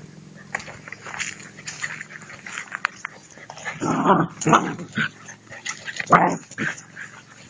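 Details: German Shepherd puppies playing: bursts of short yips and whimpering squeals, loudest near the middle and end, over a low steady hum with some faint voices.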